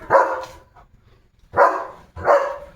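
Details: Leo, a limping German Shepherd with a sore leg, barks three times in the yard: one sharp bark, then a pause of over a second, then two more close together. Each bark is harsh and full-bodied.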